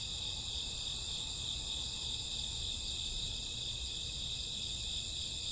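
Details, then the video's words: Summer or autumn night crickets keep up an unbroken high, shimmering trill in several layered bands, level and uniform, with a soft low rumble beneath. "Cricket sound 2 hours, summer autumn night grassworm lullaby"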